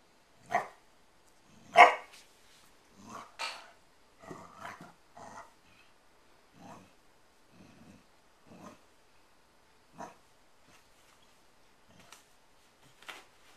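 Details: Eleven-week-old puppy at play with a nine-year-old girl on December 24th 2013, indoors; a series of short, sharp yaps and throaty growls, irregular bursts spread across thirteen seconds, the first few loudest.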